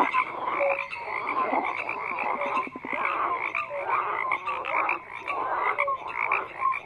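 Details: Frog chorus of overlapping croaks, a busy layer of buzzy pulses with scattered short pure tones and occasional rising sweeps, continuous and fairly even in loudness.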